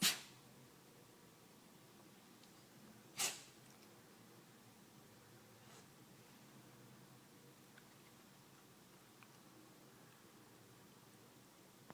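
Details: Quijote, a pet dog with a cold, sneezing indoors: two sharp, explosive bursts about three seconds apart, each fading quickly, followed by quiet room noise with a few faint soft clicks.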